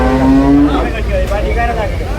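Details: Young water buffalo calves at Chholakkal market in Payyanad, Manjeri, Kerala: a short, steady low-pitched moan in the first moment, then fading into market murmur and vehicle rumble.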